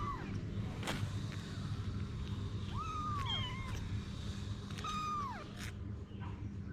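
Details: Mother cat Anna with her kittens: three high, thin meows, each a short arch that rises then slides down, spaced about two seconds apart over a steady low rumble of background noise.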